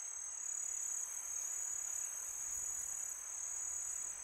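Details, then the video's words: Night chorus of crickets in summer, a bright continuous ringing trill at a single high pitch with slight pulsing in loudness, over gentle wind noise and no other clear sounds. "Crickets sound"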